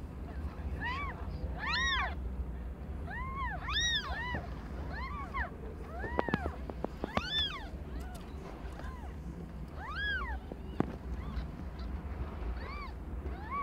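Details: Young house cat Aimee giving birth to a litter of five kittens, each a different colour; a dense series of rising-falling mews, often in quick pairs, with occasional taps and a steady low hum beneath.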